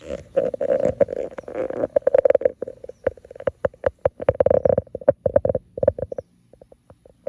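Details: French Bulldogs under a grape pergola during morning garden watering: one-year-old Minnie Rose wants to play with ten-year-old Sami. Dense snorty grunting fills the first seconds, then breaks into choppy, rapid bursts of short grunts and snorts.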